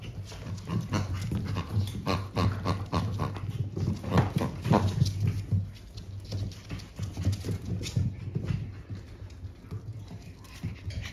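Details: Panting from young French Bulldog siblings born 14 March: a steady run of fast, rough breaths, about three or four each second, loudest midway, with light knocking noises underneath.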